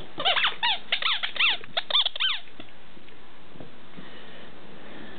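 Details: A new puppy on its first day home, playing: a burst of high, squeaky whines and yelps with rising and falling harmonics, about a dozen in two seconds, then quiet room noise.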